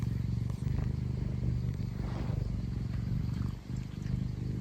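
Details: Scottish Fold pet cat purring affectionately, a low, throbbing rumble going nonstop like an engine, with slight rises and falls in loudness and a short dip near the end.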